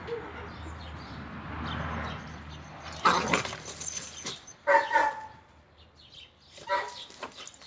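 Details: Red-nose pit bull Oscar during a mating meeting with chocolate red-nose Müdür: after a low, steady hum, three sharp barks burst out around the third, fifth and seventh seconds, with people talking nearby.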